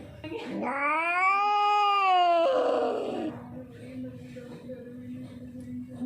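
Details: Scared, hungry stray cat lets out one long rising-then-falling wail lasting about two seconds, ending in a rough noisy tail, followed by a faint steady low hum.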